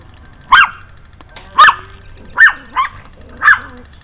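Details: Small Pomeranian yapping as it jumps, evening of 4 June 2012: five high, slightly rising barks roughly one second apart, one softer yip among them, with a quiet background hum.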